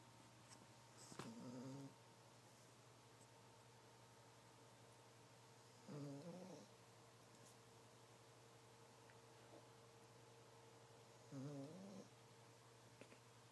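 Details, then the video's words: Female dog snoring loudly while asleep at night: soft, low rasping snores about every five seconds over a steady electrical hum, with quiet room noise between breaths. "DOG snoring loud!"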